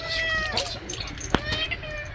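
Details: Angry domestic cat during a bath lets out a drawn, harmonic-rich meow at the start and a fainter one near the end, while a woman talks to it over a sharp knock and a steady low hum.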